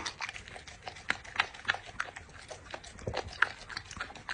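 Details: Dog eating in an ASMR session, rapid irregular crunching and biting, roughly three bites a second, with clicking chews throughout.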